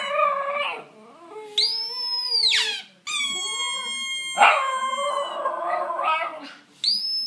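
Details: Italian Greyhound singing: a varied run of howls, from wavering mid-pitched wails to a high arched note sweeping up and down, a long flat sustained whine, and rough yodelling passages, ending on a sudden high cry.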